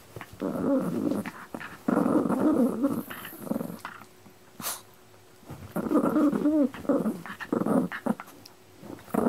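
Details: Pet dog, one of the pair Pino and Choro, gives repeated rough, rumbling growls in bursts of one to two seconds, some rising into a strained grumble, broken by short quiet gaps with a sharp sniff or hiss between them.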